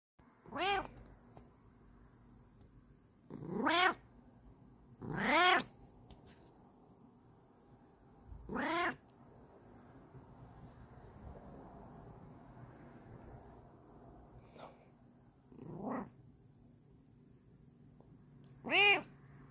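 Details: Female Bengal cat yelling when happy: loud, drawn-out, harmonic meows that rise then fall, six calls spaced a few seconds apart with quiet gaps between.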